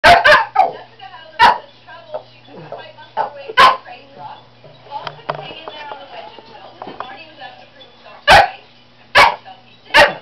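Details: Pet shih tzu barking at its owner, possibly wanting to go for a walk: short sharp barks in scattered bursts, with a person talking quietly between them.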